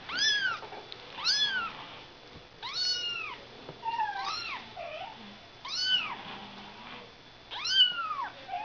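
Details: Ragdoll kittens born on 31 March giving high, arched mews, each rising then falling, repeated roughly every one to one and a half seconds; around the middle two calls overlap, suggesting more than one kitten, in a quiet indoor setting.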